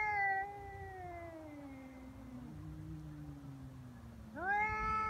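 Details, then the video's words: Feral cats threatening each other on Cat Day, February 22, leading to a fight: a long yowl sliding downward into a low moan, another cat's rumble beneath, then a sharp rising wail at the end. "猫の日ガチ喧嘩「威嚇で相手が引かない噛みつきや猫パンチに発展」野良猫 Cat Fight"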